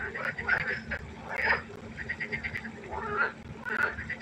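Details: Pond frogs calling at night, short bursts of harsh croaking from several animals rising and falling in loudness, one louder croak in the middle, with a low background hum.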